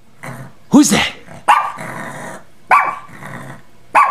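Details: Bailey, a pet dog roused from an afternoon nap by a noise, gives deep resonant barks about once every second or so, four in a row, with a man's voice urging him on in a quiet room.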